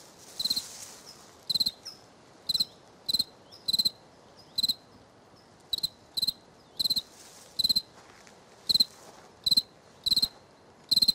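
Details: Cricket on the right bank, giving short high, metallic chirps, each a quick burst of several pulses, repeated about once a second at uneven intervals against a quiet background.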